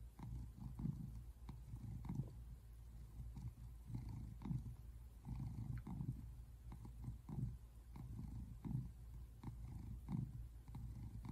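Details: An American Shorthair tabby cat, a male adopted in 2017, purrs while relaxing on a couch in February, a low rumbling vibration pulsing steadily with each breath.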